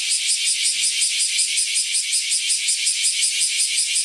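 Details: A cicada in the woods, calling as summer approaches, gives a continuous high, hissing buzz, pulsing steadily a few times each second.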